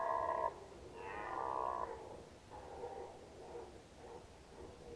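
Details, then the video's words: Red deer during the rut in 2019, Nationalpark Unteres Odertal: a quieter, more distant-sounding roar. Two short harmonic bursts come first, then fainter drawn-out moaning tones fade over several seconds. "Hirschbrunft 2019 (red deer rut 2019)"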